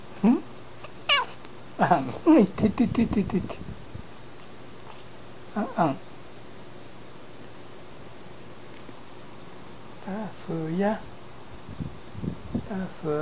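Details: Sleeping domestic cat answering with a scatter of short, low murmured meows, a quick cluster of chirping cries early on, then softer drawn-out mews after a long quiet gap; room hum underneath.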